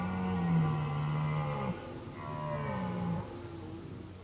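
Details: Deep red deer roars during the 2019 mating season: a sustained low bellow of about a second and a half, a brief pause, then a second shorter moaning roar that fades out.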